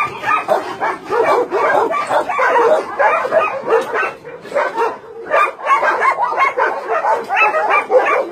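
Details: Meat-farm and puppy-mill dogs in Nonsan, South Korea, recorded in January 2017, barking en masse; sharp, pulsing barks in bursts with a short lull midway, then the chorus resumes at full strength.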